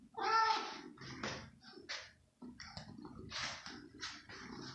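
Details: Hungry female kitten indoors in the evening, leaping for chicken slices; opens with a strong harmonic meow, followed by scattered short squeaks and bursts mixed with handling noises and faint voices.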